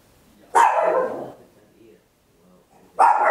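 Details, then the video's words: Tiny Papillon dog barking very loudly at home, stereo recording on an Olympus LS-11: two sharp barks about two and a half seconds apart, with faint low murmurs between. "Tiny Dog Barking Very Loud, Papillon"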